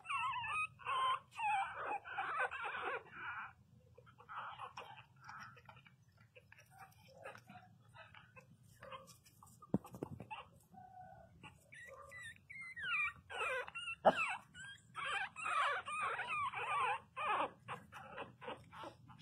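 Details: Pinscher puppies cry loudly in high, wavering whines, several voices overlapping in quick bursts.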